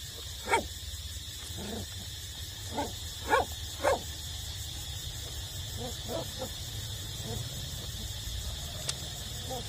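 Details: Puppies eight weeks old still nursing from their mother; brief high yips and whines repeat irregularly, three louder yelps early on, with a constant hum underneath.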